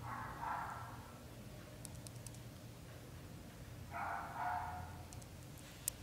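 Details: Two separate meows from young British Shorthair kittens, a litter of four in their first month: each cry broad and harmonic, spaced about three and a half seconds apart, with faint clicks behind.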